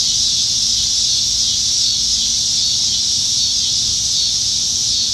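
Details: Summertime evening in Nebraska, July 2019, with many cicadas in the trees; an unbroken, shrill, even buzzing drone fills the whole stretch, over a soft low rumble.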